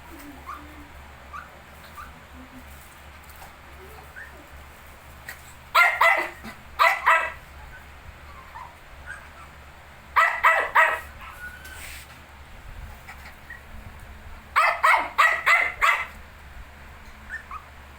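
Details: Shih Tzu alongside 19-day-old puppies barks in three separate bursts of three or four rapid yaps, spaced about four to five seconds apart, with faint soft squeaks and rustling in between.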